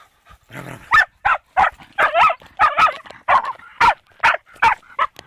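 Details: Fox terrier facing a wild boar for the first time, giving a fast, frantic volley of harsh, strained barks, roughly three per second, some with a whining, yelping edge and hardly any pauses.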